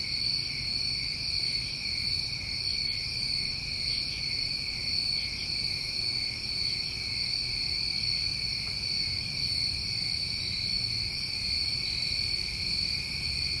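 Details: A summertime night chorus of many New England crickets, steady overlapping high trilling in continuous bands with slow pulsing swells, no pauses, faint low rumble beneath.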